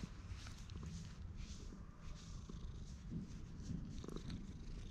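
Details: Stray cat with mask-like face markings, a community cat filmed on a GoPro HERO8 while being tapped and stroked, purring in a low continuous rumble with faint rustling throughout.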